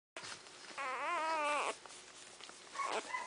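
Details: Newborn Dogo Argentino puppies, born December 2009, indoors: one wavering, whiny cry lasting about a second with a slight rise and fall, followed by a shorter squeak near the end.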